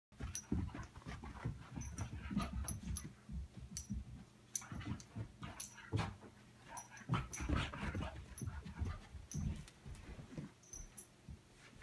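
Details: Six-month-old Labrador coonhound mix puppy wearing a collar for the first time, panting in quick, breathy, low bursts that continue steadily throughout, with a few faint clicks and rustles.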